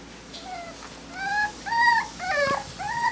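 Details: Smooth-coated Miniature Dachshund puppies from a litter in Colorado give high, thin whines and yips, several short rising-and-falling cries overlapping over a few seconds, with a person talking quietly nearby.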